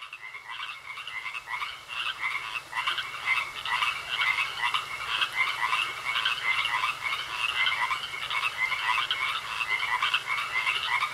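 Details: Frogs croaking in a pond, a dense chorus of short pulsed croaks repeated about once a second, with a steady high thin tone running through.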